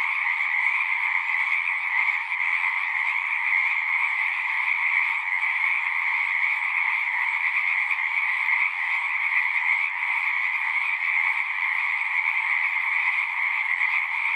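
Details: A horse-pasture pond full of singing frogs, Zoom 6 recording: a steady, dense chorus of high trills, unbroken and even in loudness for the whole stretch.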